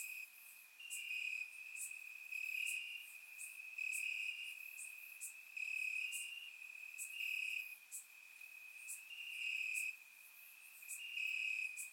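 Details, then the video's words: Crickets in summer grass at night in Bulgaria, recorded in surround sound, trilling continuously while louder pulsed phrases come and go roughly every second or two, accompanied by faint high clicking insects. "Cricket Sounds - Crickets Chirping at Night"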